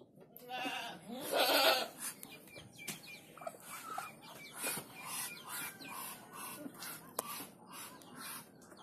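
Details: Young goat kid on a farm giving a loud, wavering, nasal bleat about half a second long, followed by scattered clicks, knocks and faint farmyard noises.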